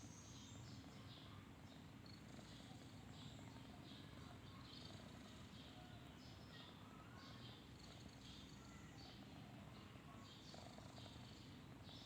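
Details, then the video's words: A snoring kitten asleep gives a soft, unbroken low drone while faint high-pitched chirps continue in the background. "Kucing Lucu Banget, Tidur ngorok"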